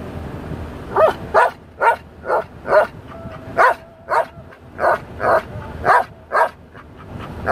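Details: Dale, a Belgian Malinois, sings to a song with a string of separate yowling syllables spaced about half a second apart, some with a steady held tone between them, over quiet music.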